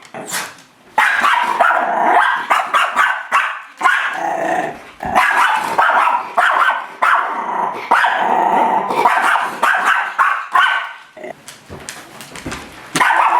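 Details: A pet Miniature Schnauzer, Cadie, attacking its mirror reflection with near-continuous frantic barking mixed with growls and snarling, fast uneven bursts, tapering to scattered sharp yaps and scuffling near the end.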